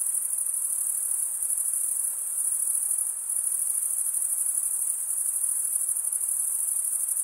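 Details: Male crickets stridulating produce a constant, piercing high trill with only a brief slight dip near the middle; the chorus otherwise holds steady, backed by low hiss.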